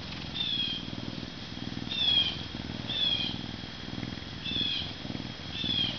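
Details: Max, a male Canada lynx born May 2011 at a zoo, an animal ambassador weighing 40.5 pounds who cannot be released, purrs in low rhythmic pulses, with short high chirps roughly every second and a faint steady high tone behind.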